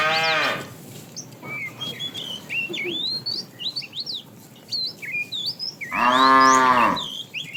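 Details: Cows of a tame herd walking toward fresh pasture: a brief moo at the start and a louder, longer moo near the end, separated by busy chirping and whistling of small birds.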